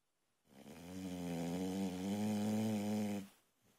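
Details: Single heavy snore from a sleeping female Boxer puppy indoors, swelling and fading over nearly three seconds with a rough, vibrating drone.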